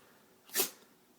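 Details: A pet dog, excited, gives one sharp, breathy sneeze: a brief hissing burst that peaks and dies away within a fraction of a second, with quiet indoor background around it.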